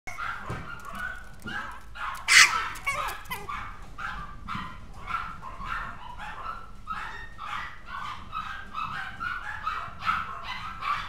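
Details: Maltipoo that is becoming a little naughty, giving a fast run of short, sharp barks, a few seconds apart at first and then crowding together, with one louder clipped burst early on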